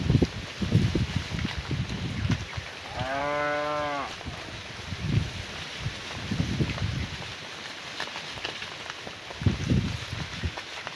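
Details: A cow calls to its herd while the cattle are herded back to the barn one afternoon. A single clear, tonal moo lasts about one second, surrounded by low thumping and shuffling sounds and outdoor background hiss.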